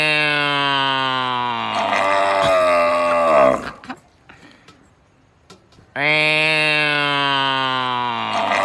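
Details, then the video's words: Cow lowing: a long, loud, harmonic moo of over three seconds with a slowly falling pitch, then a quiet gap of about two seconds, then another strong drawn-out moo begins. "Tiếng bò kêu| Cow videos| ox sound"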